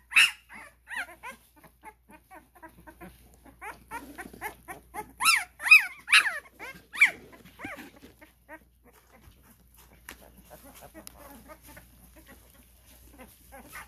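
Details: Litter of Cane Corso puppies, twelve days old, kept at a kennel, giving rapid runs of high, bending squeals and whines that peak in a loud cluster midway, then fade to soft scattered whimpers.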